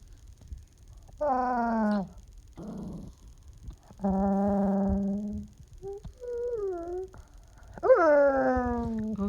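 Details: Young puppy making drawn-out, groaning whines when petting stops: three long harmonic moans falling in pitch, each about a second, with softer short whimpers between, indoors, and a woman's soothing voice afterwards.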